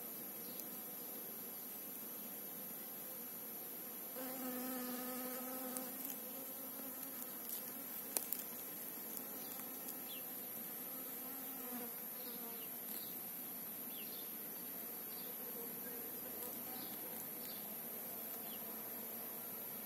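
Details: A bee visiting apple and calendula at Vikos on its trip to the field; a strong low hum passes close for about two seconds, then fades to a softer drone amid repeated distant bird chirps.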